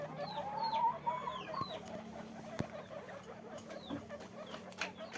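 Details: Guinea pigs at a farm: a loud rising series of chirping squeaks early on, then several high falling whistled squeaks from other animals, with a sharp knock and steady low background hum.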